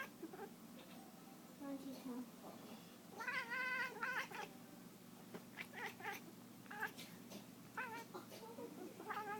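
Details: Domestic cat making odd noises while chasing a laser pointer: a short low call, then a longer bright harmonic meow-trill near the middle, followed by scattered quick chirps and clicking taps through the rest.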